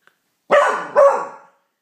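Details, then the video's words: Pauly, a Beagle learning to howl at the neighbours, gives two short baying howls in a row, each with a sharp onset and a drawn-out, fading harmonic tail, the second note slightly stronger at its start. "Pauly's first howl"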